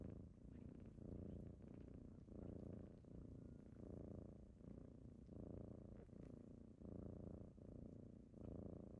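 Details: Close, loud kitten purr on a typical morning of waking someone up, a deep vibrating rumble in regular in-and-out breath cycles, roughly one every three quarters of a second.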